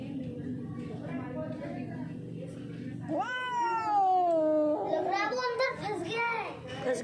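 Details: Hungry, thirsty and scared stray street cat of unknown origin, being offered water. After a few seconds of a person talking, one long wavering meow, then a burst of shorter meows.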